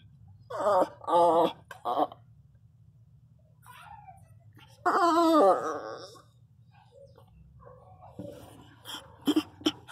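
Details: Female Pinscher crying loudly indoors while giving birth to her first puppy; loud wailing, harmonic cries in short bursts near the start and again around five seconds, separated by quiet gaps, with a woman talking softly nearby.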